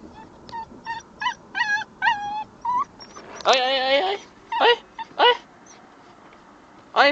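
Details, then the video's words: An 8-week-old Alaskan Malamute puppy crying in bursts of short, wavering yelps and whines, with one longer, quavering cry in the middle, then more separate sharp whimpers, with a person speaking in places. "ma wolf crying"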